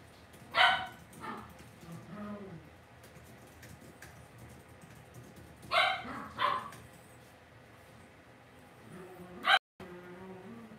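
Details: Cavalier King Charles Spaniel puppies raised indoors in a home pen: scattered high yapping barks, one early, a quick pair near the middle and a last sharp one near the end, with faint room murmur between.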